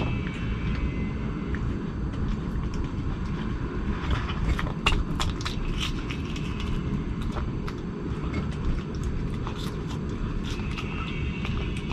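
A steady low traffic rumble with scattered sharp clicks and crunches, and no animal calls.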